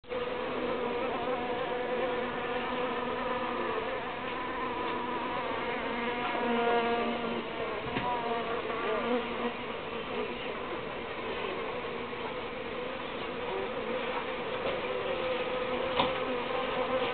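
Uruçu bees hum in a steady, low buzz that rises and falls slightly in loudness.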